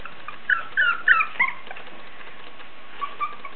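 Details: Basenji puppies aged three weeks and one day, already very lively, give thin, high whimpers and squeaks in short clustered bursts.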